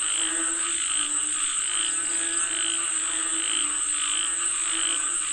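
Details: Frogs calling for rain in a dense chorus: overlapping throaty pulsed croaks, roughly one a second, with a steady high insect-like whine running throughout.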